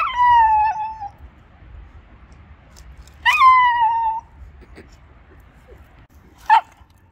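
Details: A Shiba Inu, guarding its owner from an icy puddle, gives two drawn-out, slightly falling whining cries, then one short sharp yelp.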